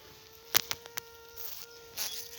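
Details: Honey bee queen, first to emerge in a requeening hive holding several queen cells, piping around 8 in the evening to dominate rival queens: a sustained, slightly buzzy tone lasting over a second, a brief pause, then another, with clicks and rustling.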